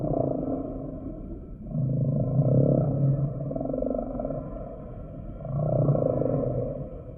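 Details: Humpback whale song with low, buzzy pulsed moans swelling and fading in three bursts, broad grainy mid tones above and a constant underwater drone.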